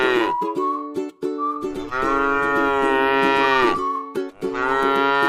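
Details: A tame cow feeding on grass in a rice field lows twice, one long even moo of nearly two seconds, then another beginning, while plucked strings play throughout.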